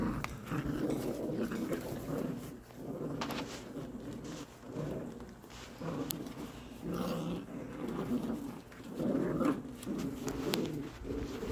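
American Cocker Spaniel puppies make soft, low whimpers and grumbles in irregular bursts indoors.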